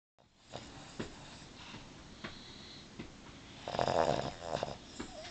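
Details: Ellie, a female Boston Terrier, snores while sound asleep with her eyes open indoors: soft, uneven rasping breaths at first, then a louder, rougher snore near the end.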